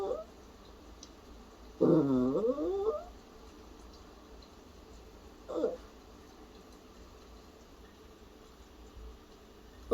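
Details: Puppy vocalizing indoors, said to be imitating a cough and sounding worried: a drawn-out wavering, moaning whine with rising and falling tones, followed a few seconds later by a short second yelp, with quiet room noise between.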